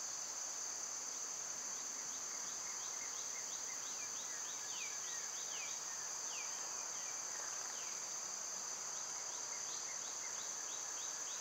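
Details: High, even cicada drone on a summer day runs beneath scattered clusters of brief, descending bird chirps.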